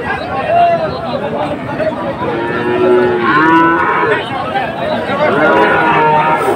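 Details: Friesian and crossbred heifer calves at a cattle market in Dhaka, Bangladesh, 12 August 2024, where farmers are buying calves; a short harmonic moo rises and falls mid-way, surrounded by constant crowd chatter and voices.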